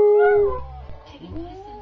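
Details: A double dapple Dachshund "sings" when prompted to, a sustained tonal howl that fades and then rises again more softly.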